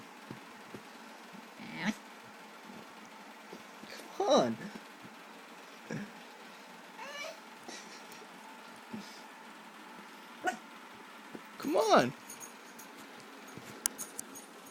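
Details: Paige, a female puppy, whines because she wants up on the bed. Two drawn-out, wavering whines arrive around four and twelve seconds, with fainter short squeaks between them and a person's quiet coaxing voice in a small room.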